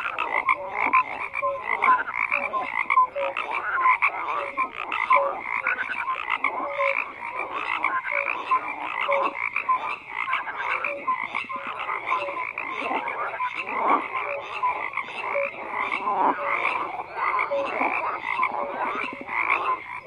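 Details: Sustained frog chorus, countless croaks overlapping without pause for twenty seconds, rhythmic pulsing texture with scattered clearer chirps and short tonal notes rising above the din.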